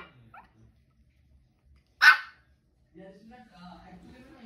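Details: A 2-month-old Shih Tzu puppy gives its first bark, a single sharp, high yap, with quiet voices around it.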